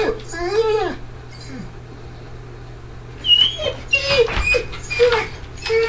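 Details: Great Dane named Ghost escaping his crate at home, recently spooked by neighbours' fireworks; a long wavering whine opens, then after a pause a run of short, high, bending whimpers about once a second, with faint rattling.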